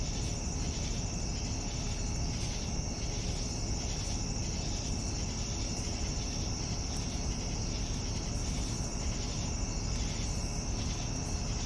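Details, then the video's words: Crickets at evening, their high continuous ringing trill steady from start to end, overlaid by repeating pulsed chirps roughly every second, with a broad low rumble filling the background. "Evening Cricket Sounds"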